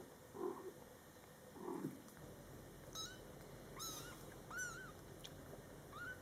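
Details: Mother cat talking to her Scottish Fold kittens, born July 22, 2012, during their first month: two low, soft maternal calls open, then four higher, thin kitten meows, each arched and slightly falling, spaced about a second apart.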